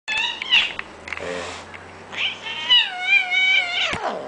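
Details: A cranky Bengal cat, an older brother cat, gives long, wavering, complaining meows with rich harmonics.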